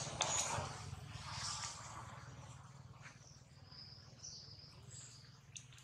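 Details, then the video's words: Baby monkey Jinx crying after a hard bite from Jade: thin, high arched squeals come in short bursts over a low steady hum, with faint background chatter. "Jade bites baby monkey so hard, Jinx is crying loudly"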